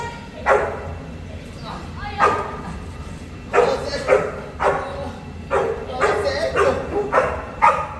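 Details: Boerboel, South African Mastiff, one of a male and female pair living in Egypt; deep barks in irregular bursts with quiet gaps between them, over a person speaking and background music.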